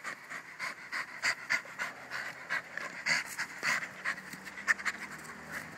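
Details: A Jack Russell Terrier pants steadily: quick, breathy, hissing puffs repeated several times a second in an uneven rhythm, with no other clear sounds.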